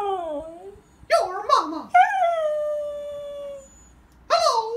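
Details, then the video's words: Pet husky reacting with displeasure to its owner's Mickey Mouse voice: a short falling cry, a burst of squeaky, wavering vocal sounds, then a long, steady howl sliding gently downward, and another sharp cry at the end. "Husky does not like Mickey Mouse Voice."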